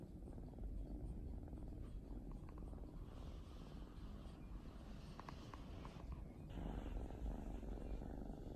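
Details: Drowsy mixed-breed female cat on the sofa during a holiday afternoon nap, purring in an even, deep rumble throughout, a few light taps and rustling in the background.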